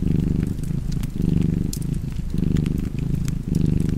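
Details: Cat purring near a fireplace: low, throbbing rumble rising and easing in rhythmic waves, each swell lasting under a second, while fire crackles snap in the background.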